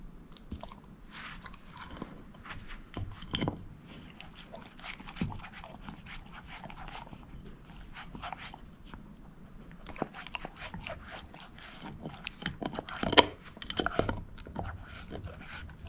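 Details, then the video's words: Bone-chewing by Moose, a female shepherd mix: scattered sharp cracks and scraping crunches, with quieter pauses between bouts of gnawing and a cluster of loud snaps late on. "SHEPHERD EATING BONE ASMR"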